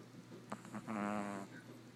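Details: Boston Terrier puppy snoring during a morning nap: a short snort, then a single drawn-out buzzy rattling breath lasting about half a second over a low steady room hum.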